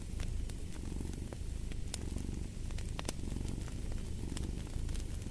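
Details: Domestic cat purring steadily, a deep low rumble with fine rapid pulses throughout, over crackling fireplace pops and snaps.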